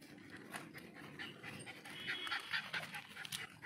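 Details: Tovi, a beagle puppy, pants in quick rough bursts with a few brief high whiny notes while reacting to guinea pigs and rabbits seen for the first time.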